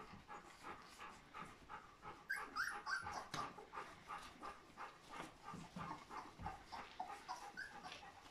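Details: A litter of fourteen three-week-old Golden Retriever puppies whimpers and squeaks in quick, overlapping bursts.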